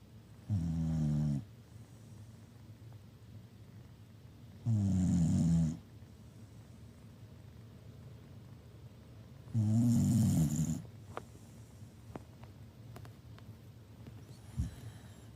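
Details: Pet Shiba Inu snoring loudly indoors: three deep, rumbling low snores, each lasting about a second and spaced roughly five seconds apart, with quiet breathing between and a few faint clicks near the end.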